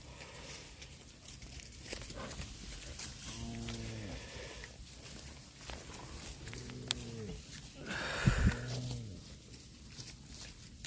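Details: Cattle eating grass give three low, droning moos with rich stacked harmonics, each about half a second to a second long and spaced a few seconds apart, over steady outdoor rustle and a sharp click near the end.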